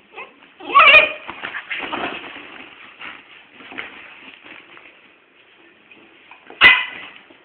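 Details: A little dog and a big dog play fighting indoors. Two short, sharp barks or yelps, one near the start and one near the end, with soft scuffling, rustling and low background noise between them.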